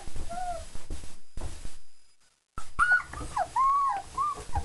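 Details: Four-week-old German Shepherd puppies just after eating a meal, giving high thin whimpering whines that rise and fall in short bends, several overlapping in the second half, with a rumbling handling noise and a brief silent gap.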